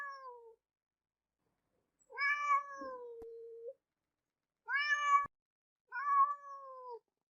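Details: Domestic cat giving a series of short meows spaced a couple of seconds apart, each falling slightly in pitch, one ending in a low drawn-out tail; quiet room otherwise.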